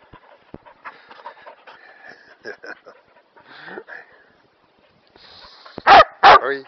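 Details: Kerry Blue Terrier playing in long grass, hunting for a thin stick thrown into the grass. Two loud, sharp barks in quick succession close the recording, after quiet Dutch speech, soft rustling and footsteps.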